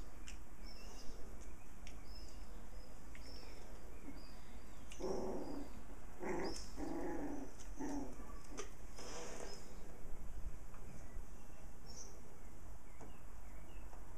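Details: Six puppies playing with their mother dog; short harmonic growling bursts and yaps clustered in the middle, over a steady low hum and background noise.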